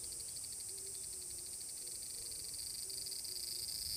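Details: Large brown cicada, Tanegashima, Japan, 30 July 2022, at Furuta Magarikawa, Nishinoomote. A steady high sizzling whir with a soft throb, and faint low hooting notes repeated in the background.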